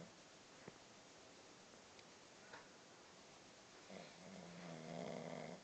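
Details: Stella, a puppy, snores while awake: a soft steady hiss, then a drawn-out raspy snore with a low rumbling tone near the end, recorded in a quiet small room.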